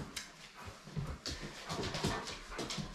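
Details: A German Shepherd whimpers and whines excitedly, with short breathy bursts, jumping up to greet his owner coming home from work, as he does every day.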